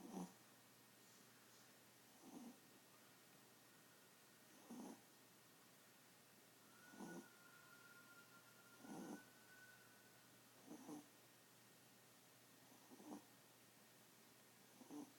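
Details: Tiny pet Chihuahua asleep, snoring like an old man: soft, breathy rasping snores repeating about every two seconds, each a short broadband burst, in an otherwise quiet room with a faint steady hum.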